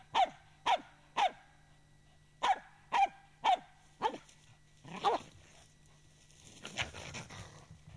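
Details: Finnish hunting dog, a Finnish Spitz, barks in a quick run of crisp yelps roughly twice a second, pausing briefly, then the barks grow hoarser and fainter as rustling noise rises at the end.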